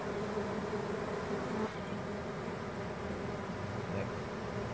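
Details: Many honey bees of a swarm climbing off a branch into a hive box that already holds their queen, producing a continuous, droning buzz of constant loudness throughout.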